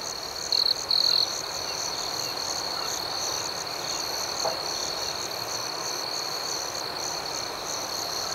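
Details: Crickets at night in a serene outdoor setting, a steady high-pitched chorus of continuous chirping with two brief louder trills near the start, over a faint even background hiss.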